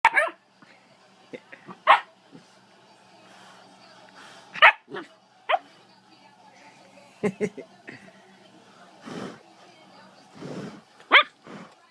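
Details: Siberian Husky puppy playing; sharp high yips and short barks come in irregular bursts, roughly every few seconds, with a person's voice talking in between.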